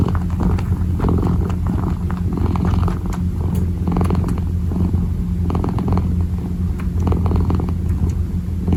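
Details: Purring kitten kneading with its paws, a low, even rumble that holds without a break, overlaid with frequent short soft scratching and rustling clicks.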